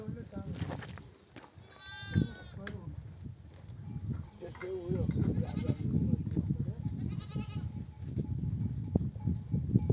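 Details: Mother sheep of a nomadic flock back from desert grazing among oak trees, bleating to call her lambs to nurse; a rising, quavering bleat near the two-second mark stands over rumbling flock noise, people talking and another bleat later.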